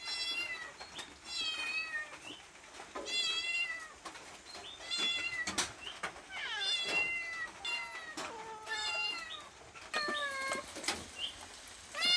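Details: Cat begging for food with a run of repeated meows, many short and steady, others sliding downward, coming about every second or two amid faint tapping and handling noises.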